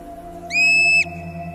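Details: In spring after hibernation, an Olympic marmot, a rodent endemic to the park, gives one shrill, steady whistle, an alarm warning the whole colony to take cover from a young eagle overhead.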